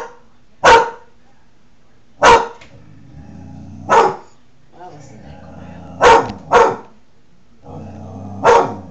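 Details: Klondike, a Newfoundland dog, barks while protecting his territory, likely at his own reflection in a window, July 2009; six loud, deep single barks spaced irregularly over nine seconds, with a low indoor hum between them.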